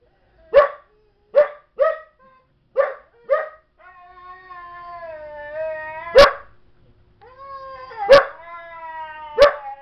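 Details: Barking young female Belgian Malinois, calmed by another dog, Chobi; five clipped barks give way to long, wavering whines, then three louder, explosive barks punctuate the whining.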